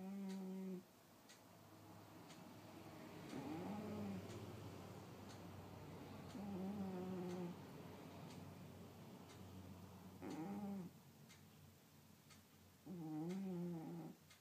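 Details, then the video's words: Snoring from Sky the cat indoors: long, droning, low nasal breaths, some wavering in pitch, recurring every few seconds, with a steady clock tick and faint room hum underneath. "Sky - The Snoring Cat"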